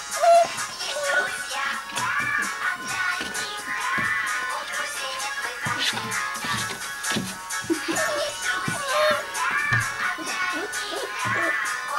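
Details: Bright music with synthetic sung melody lines and light percussion, with no animal sounds.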